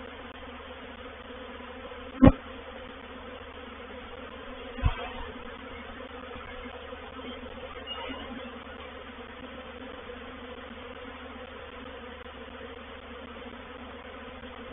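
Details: Reproductive swarm of honey bees moving into a bait hive (swarm trap) at Painted Peacock Manor on 04/07/21; a steady, low droning hum with layered tones, broken by two sharp knocks near the start.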